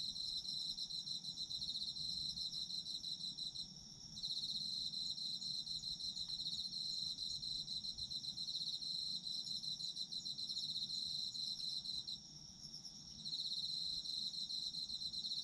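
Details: Chorus of autumn insects: continuous high pulsing trills stacked in bright bands, about four pulses a second, pausing briefly twice before the ringing returns.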